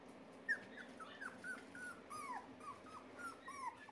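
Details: Three red Miniature Poodle puppy boys whimper in a rapid series of short, high, falling whines, roughly ten in four seconds, some with a squeaky upward lilt, over a steady low indoor hum.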